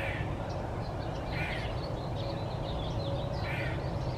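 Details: One-eyed gray squirrel Wilma screaming: harsh, hoarse bursts at the start, middle and end, mixed with softer chattering notes over a continuous low rumble.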